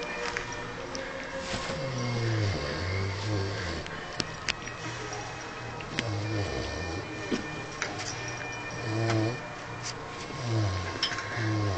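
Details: Sleeping Vietnamese pot-bellied pig named Harvey snores in deep, rasping, harmonic drones, each breath repeated roughly every two seconds, with occasional soft clicks in the quiet indoor background.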